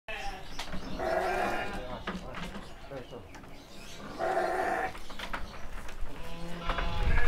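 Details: Seven-month-old male sheep being loaded for transport at a farm in Kediri, Indonesia; two wavering harmonic bleats about three seconds apart, with a man talking and handling noise throughout.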